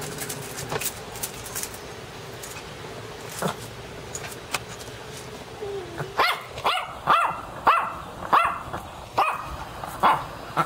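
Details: Dog barking, first a few faint scattered barks over a low hum, then a quicker run of sharp, louder barks in the second half, about two per second.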